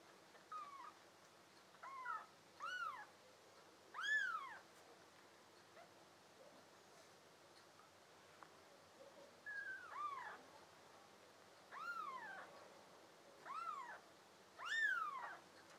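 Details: A litter of five blue-eyed American Shorthair and tabby kittens kept as pets, summer 2022: scattered thin meows rise and drop in pitch, coming in clusters with a quiet pause midway, some calls faint and others louder.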